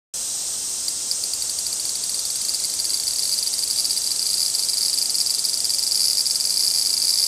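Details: Large brown cicada in an apparent territorial dispute, giving a steady, hissing high-pitched buzz that holds without a break and grows slightly louder toward the end.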